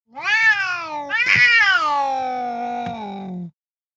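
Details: Angry Siamese cat screaming while swatting: a loud, drawn-out harmonic yowl lasting about three seconds. It breaks into a harsh, rising scream burst partway through, then settles into a long, slowly falling wail before stopping abruptly. No other sounds.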